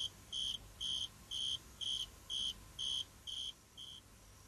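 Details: Male cricket singing while using a leaf as a megaphone to make his sound louder: a shrill, pure chirp at a steady high pitch, pulsed in even bursts about twice per second, eight bursts, the last fading.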